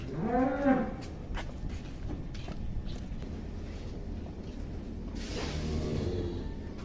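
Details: Giant cow named Atta Halilintar, filmed in 2022 while still young: a short, rising-and-falling moo opens the clip, then low rumbling background noise with scattered knocks and shuffling.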